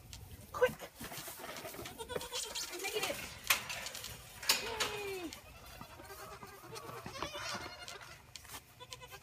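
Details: Bottle-fed orphan Boer goat kids at a six-bottle wooden feeder, recorded by iPhone from the gate: several quavering, downward-bending bleats stand out among sharp clatters and knocks of the feeder and pen, with faint human voice in the background.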